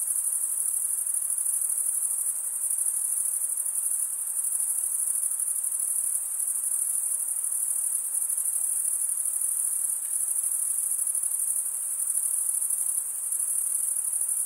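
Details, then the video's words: Crickets, males stridulating with their wings, keep up a steady piercing high trill of rapid pulses that barely changes in loudness from start to end, with light hiss beneath. "Most relaxing cricket sound"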